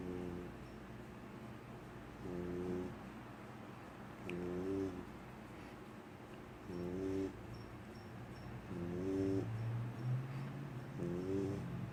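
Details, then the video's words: Sleeping female puppy snoring softly: low, rough breaths with faint harmonic whines about every two seconds, steady and unhurried, over a quiet low hum. "CUTEST THING EVER (puppy snoring)"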